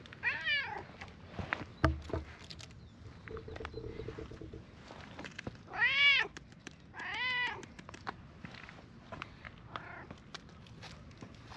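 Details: A stray brown-and-white cat in a park, met again after a long time, greets with meows. The meows are arched and harmonic, with one short call near the start and two louder drawn-out ones in the middle. Faint rustling and footsteps are also heard.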